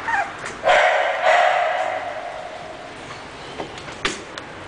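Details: English Bulldog letting out one long, drawn-out hoarse bark that fades slowly, followed by a few faint clicks and small sounds.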